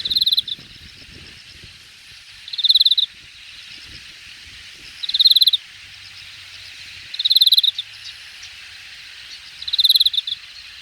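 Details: Late-summer insects chirping in the grass at Hangang Park's Jamwon district, Korea, in August 2021; short bright pulsed bursts repeat roughly every two and a half seconds against a soft, steady insect background.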